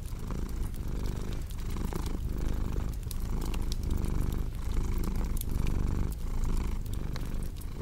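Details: Close, rumbling purr from a cat, its steady buzz cycling with every breath, while fireplace logs crackle and snap in the background.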